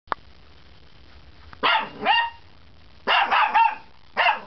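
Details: A puppy's first barks: short, high, yappy barks in bursts, two spaced barks, then a quick run of three, then a last single bark, in a quiet room.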